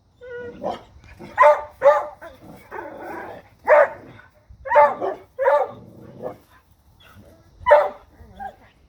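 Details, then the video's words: Dogs bark at a deer in loud, harsh single and paired barks spaced a second or so apart, mixed with talking and some softer yelping. "Dogs Barking at Deer"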